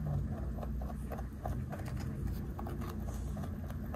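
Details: Snack-eating 3.2 kg large rabbit, close ASMR recording: fast, even crunching ticks about every fraction of a second for four seconds, with a droning low hum underneath.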